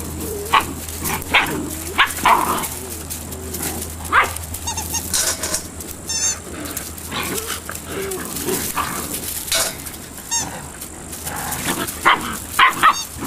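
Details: Malinois litter at eight weeks old: many overlapping high-pitched yips and squeaky barks scattered irregularly across the stretch, some in quick doubled bursts, over a constant low electrical-sounding hum.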